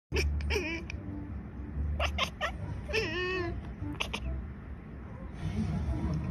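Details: Two domestic cats in conversation, exchanging short harmonic meows with wavering pitch, several calls clustered in quick bursts, over steady low background music.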